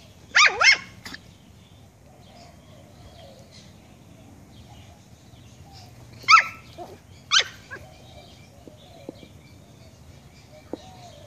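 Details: Pet puppy barking at a fish head: a quick pair of shrill, high-pitched yaps at the start, a long quiet pause with faint room noise, then two more single sharp yaps about a second apart.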